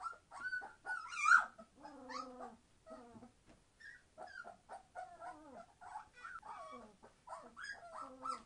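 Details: Entlebucher Mountain Dog puppies aged 21 days, being very noisy: wavering squeals and whines, some sliding downward into lower moaning tones, alternating with sharp high yips and brief gaps.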